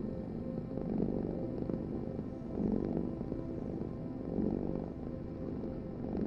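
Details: Close, low rumbling purr from a cat, pulsing with each breath about every 1.7 seconds, soft and even; nothing else audible.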